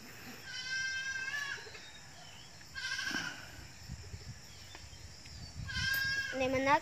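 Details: Goats in a small herd that is just beginning to grow, with moderate wavering bleats near the start, middle and end over steady background noise.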